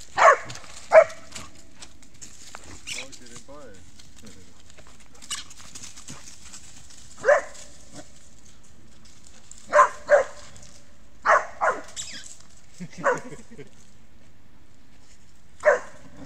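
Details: Rübe, a dog, playing with a ball and another dog in August 2018; sharp barks at irregular intervals, in single and paired bursts, with quiet gaps between and faint voices in the background.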